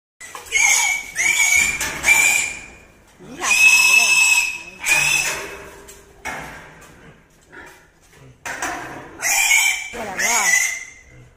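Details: A pig being held squeals repeatedly, each cry a piercing, screechy burst holding about a second before cutting off, with quieter grunting breaths and shuffling between outbursts.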